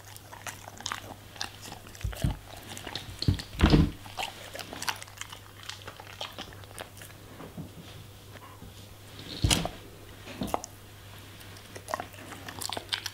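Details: Eating vegetables and fruits, a German Shepherd produces heavy, thudding bites with deep low-pitched crunches near four and nine seconds, between softer steady chewing clicks and a low background hum.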